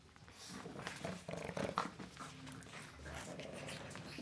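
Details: Two 9-week-old Boston Terrier puppies with their mother give short whiny yelps and low growly grumbles indoors in the early morning, 22 November 2017.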